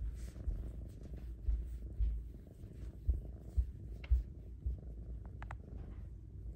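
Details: Female Bengal kitten, a house pet, purring loudly while enjoying attention and petting. A steady low rumbling purr with soft pulses about twice a second. A few faint clicks sound near the end.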